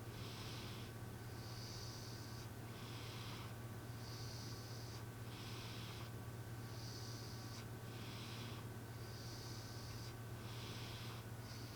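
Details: A cat asleep, snoring much like a person, each breath a soft airy rasp, in-breaths and out-breaths trading off roughly once a second against a constant low hum of room noise.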